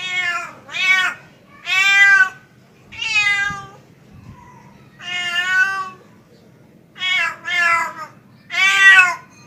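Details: Pet tomcat calling for a female: loud, rich meows come singly or in quick pairs with short pauses between, each wavering in pitch, over a steady low background hum.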